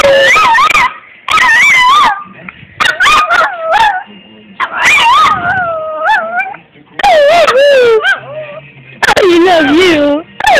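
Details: Minako the puppy howling for fun, April 2012: warbling howls and yips in bursts, some sliding down in pitch, with low human speech audible between the dog's phrases.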